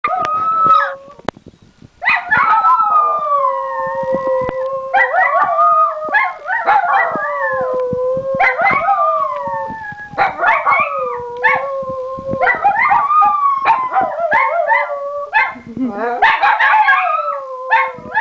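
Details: Two Italian Greyhounds, Maddy and Lily, indoors barking at something out the window, then setting each other off into howling: overlapping long wavering howls with sharp barks interspersed, repeated in bouts every couple of seconds.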